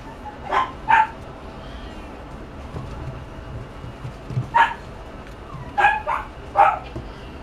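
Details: A pug gives short, sharp barks: a quick pair at the start, a single bark midway, then two more close together near the end, over a quiet room background.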